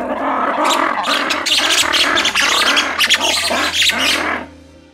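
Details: Three captive black-and-white ruffed lemurs (two males, one female) at a zoo give a loud, raucous, harsh chorus of pulsing cries, a territorial call likened to a lion's roar that claims their territory.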